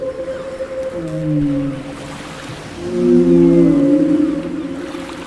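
A blue whale gives long, low, moaning tones that bend and slide in pitch.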